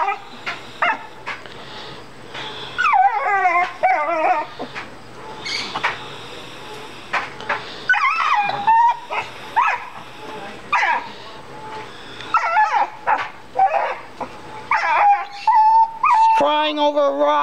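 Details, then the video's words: A female dog cries over a rock in the yard, a habit she repeats whenever she finds a big one. She gives a long series of warbling, quavering whines and yelps, roughly two a second, with a low background hum. "DOG CRYING OVER A ROCK"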